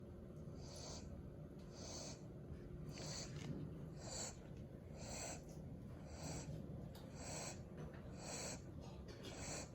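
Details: Sleeping puppy, passed out after a few hours of playing and walking outside, giving soft breathy snorts about once a second in a steady rhythm, quiet and hissy with no other clear sounds.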